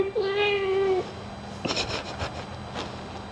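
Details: Pet cat being groomed while its ears are cleaned gives one steady, sustained meow lasting under a second, followed by scattered handling noises and clicks.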